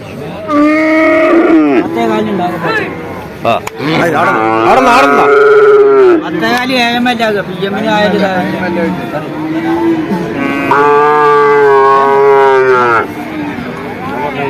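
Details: Bull calves at Vaniyamkulam market in Kerala, India, calling over traders' voices: three drawn-out, rich, slightly falling moos, each one to two seconds long and several seconds apart, with men's talk in between.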